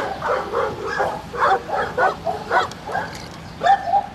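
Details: Retriever training with black Labrador Retriever Finn attempting a water double and puppy Breck nearby as a distraction; loud, short yelping barks come in quick uneven bursts, about one per second or faster.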